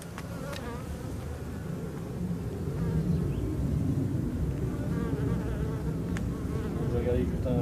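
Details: Dense, deep hum from a drone-laying honey bee colony as frames are lifted and checked for the queen; the continuous buzz grows louder after a couple of seconds, with occasional sharp clicks from handling.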